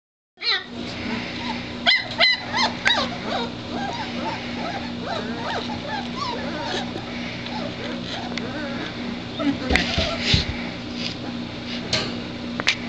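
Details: Litter of three-week-old White Shepherd puppies, already eating well and moving around, giving many high, squeaky whines and yelps that rise and fall in quick overlapping bursts, with a steady low hum and some human voices underneath.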